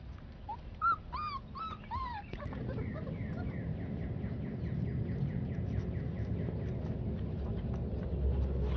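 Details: Yellow Labrador Retriever Blazer playing with four-week-old puppies; a few high, arched whimpering yips with rich overtones, rising then falling, crowded into the first two seconds, followed by steady background hiss with faint repeated chirps.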